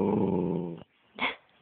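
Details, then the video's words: A dog making funny noises: a steady, rumbling, growl-like moan lasting almost a second, then a brief, sharp higher burst after a short pause; a person's voice saying "nein" is heard around it. "Lustiger Hund Rocky macht komische Geräusche"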